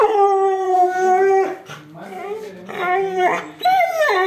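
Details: Siberian Husky giving long, smooth howls, steady at first and then sliding downward, with a quieter low whine in the middle and a final howl that rises sharply and falls away.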